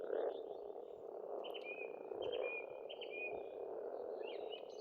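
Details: A springtime frog chorus at a pond in Estonia, a thick unbroken croaking drone, while a bird repeats short clear whistled notes about once a second over it.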